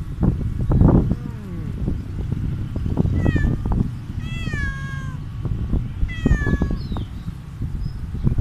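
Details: Stray cat meowing after eating food outdoors; three clear harmonic meows, the first falling, the later ones long and drawn out, over low rumbling background noise.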